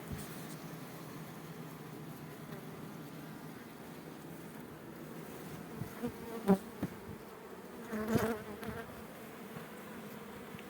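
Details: Honey bee colonies at an apiary during a hive check, with frames of stored food being shown: an even, low buzzing drone throughout, broken by a few sharp knocks from handling the frames.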